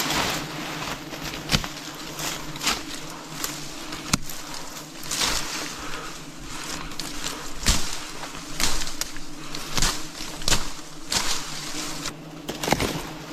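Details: Wild bees during a forest honey harvest, a steady low droning hum that holds on without a break, broken by sharp clicks and knocks from handling close by.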